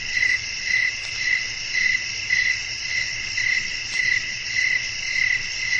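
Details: Cricket chorus on a windy night for relaxation, high trilled chirps rising in distinct bursts roughly every half second above a continuous shrill drone and soft low rumble.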